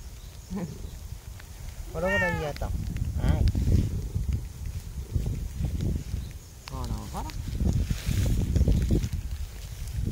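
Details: An affectionate stray tabby cat "talks" to a person, giving a few short, rising-and-falling meows, one clear and drawn out, between stretches of quiet human talk.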